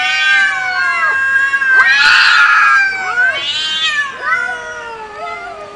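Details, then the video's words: Two cats in a loud fight, overlapping long harmonic yowls that swell, bend downward and rise again, with a harsh, screechy peak about two seconds in before the wailing continues. "Crucial fights between 2 Big Cats😱😱 with loud noise"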